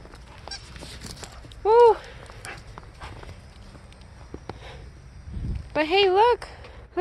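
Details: Aurora, a Siberian Husky, outdoors in a snowy blizzard wanting someone to come play, gives two short harmonic yelping calls, the second a wavering rising-falling woo, amid quiet wind and a person's faint voice.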